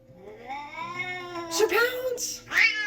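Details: Domestic cat named Sir Pounce, indoors during a quiet challenge, gives a long drawn-out rising then falling meow with rich harmonics, followed by two shorter sharp mews near the end.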